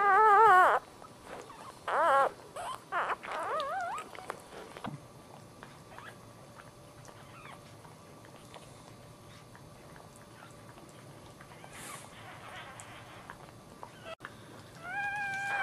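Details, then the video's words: Freshly born Dachshund puppy, third of the litter, whimpers in loud wavering high squeals, several in the first four seconds, then near silence before a rising, quavering cry returns at the end. "Puppies Birth Dachshund - Dachshund Giving Birth - Dachshund 3rd Dachshund Puppy Birth"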